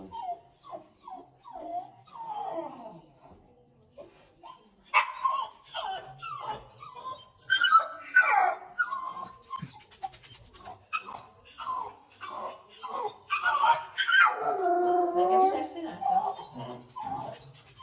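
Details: A pet dog whining, described as singing: sliding, wavering whines and short yelps rising and falling, quieter at first, then louder and more continuous, ending in a long drawn-out wavering whine.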